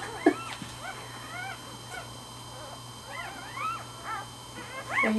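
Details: Newborn Pembroke Welsh Corgi puppies, less than 24 hours old, born the previous night and lying with their mother, a litter of four girls and three boys, August 14, 2008; thin high squeaky whimpers, arched and rising-falling, scattered across the clip, with low hum.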